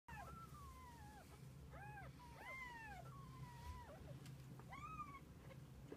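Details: Kittens spending the day with their mother cat; a series of thin, high, arching mews, some drawn out and falling, over a steady low hum.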